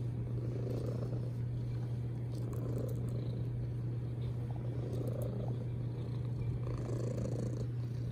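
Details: Domestic cat giving a loud, steady purr, a low throbbing rumble that swells rhythmically with its breathing, with only faint clicks in the background.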